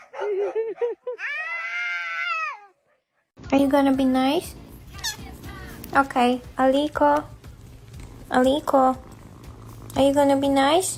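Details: Pet cat in a funny home compilation, starting with short chirping meows followed by a sustained, arching meow, then a cut to loud talking with brief cat-like cries mixed in over room hum.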